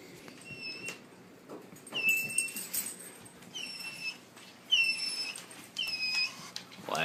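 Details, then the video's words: Dog being questioned by its owner about misbehaving, giving a series of thin, high-pitched tonal whines, short squeaky notes repeated about once a second, some bending upward, over a quiet indoor background with brief human speech. "Cute dogs making sounds"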